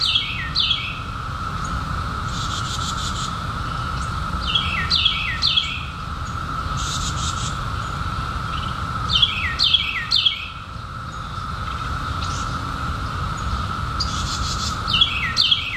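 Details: Cicada chorus of 2021, insects newly emerged from a 17-year hiding, holding one continuous mid-pitched buzzing tone without a break, overlaid by groups of sharp falling bird chirps recurring every few seconds.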